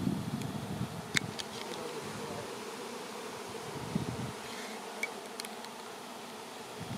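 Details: A swarm of honey bees in flight, soon to land together on a branch before being moved to a new hive, gives a steady low humming drone throughout, broken by a few sharp clicks and faint voices.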